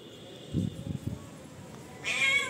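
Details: Demanding house cat gives one sharp, rising meow near the end, preceded by low murmured human voices and soft thumps.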